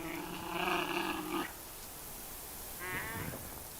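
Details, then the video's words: Giant panda growls, a drawn-out, throaty, bleating growl of about 1.5 seconds then a shorter wavering call: a dominant male guarding a female in a tree from a rival male challenger, which backs away. "panda growling"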